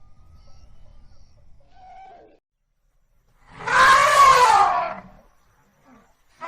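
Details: African elephant: a short faint call, a silent pause, then a loud, harsh, harmonic trumpet lasting about a second and a half, with another burst starting at the very end.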